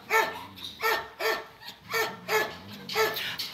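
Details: Thai Ridgeback, a 4.5-year-old male shelter dog, meeting other dogs; a series of six loud, hoarse barks spaced roughly half a second apart, with a woman's voice speaking Czech in the background.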